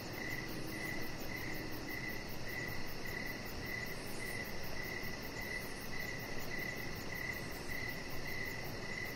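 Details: Evening crickets outside on a deck under decoration lights, a chihuahua puppy nearby; a crisp, high chirp recurs at a regular rhythm, roughly every 0.6 seconds, against a persistent low rumbling background.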